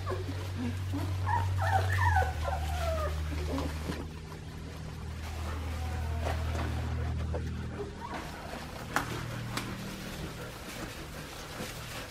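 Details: Australian Shepherd puppies aged two and a half weeks, on a farm; thin high whines and whimpers rising and falling in short wavering squeals, over a steady low hum throughout.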